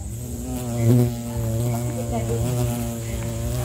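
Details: Bumblebee (Bombus pennsylvanicus) in Sri Lanka giving a steady, low, droning buzz rich in overtones. The buzz swells briefly near the first second, and a constant thin high-pitched whine runs underneath.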